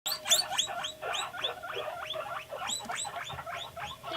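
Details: Pet guinea pig named Panda making noises in response to videos, indoors; a fast run of short, bright squeaks repeated about four times per second for the whole clip, each a quick burst, slightly uneven in spacing.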